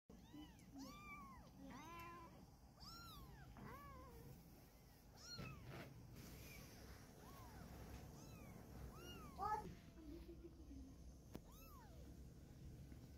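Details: Domestic cat family: a mother cat carrying her kitten in her mouth to move it somewhere safer. Many high, arching meows come in quick succession, some overlapping, over a steady low rumble of background noise.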